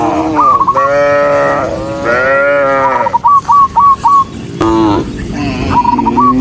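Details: Dozens of cows running along a rural road moo in long, harmonic, overlapping calls, with short repeated chirps in the background.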